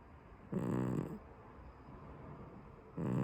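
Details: Sleeping brown tabby domestic cat snoring: two rasping, low breathy snores about two and a half seconds apart, the second cut off at the end, with quiet room hush between them.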